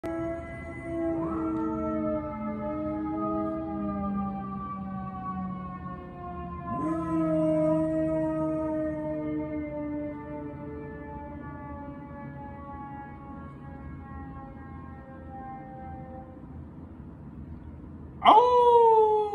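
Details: Pet whippet howling in response to a passing siren: long, drawn-out harmonic howls that slide slowly downward, sustained in three bouts beginning near one, seven and eighteen seconds, the last one starting abruptly louder.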